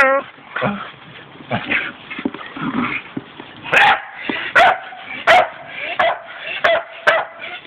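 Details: Pet Staffordshire Bull Terriers playing; sharp yips and barks in irregular bursts, roughly every second in the second half, with people's voices mixed in.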